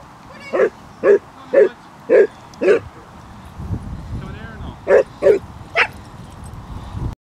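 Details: A pack of 23 Basset Hounds walking 5 miles around Ham Hill, Somerset; five evenly spaced deep barks about half a second apart, a brief lull with voices, then three more barks and a higher yelping call.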